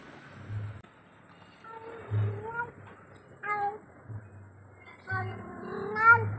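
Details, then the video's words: Cat at night, alone and calling its companion: a few drawn-out, harmonic meows, some bending upward, separated by short pauses, with a low steady hum underneath. "suara kucing memanggil temannya"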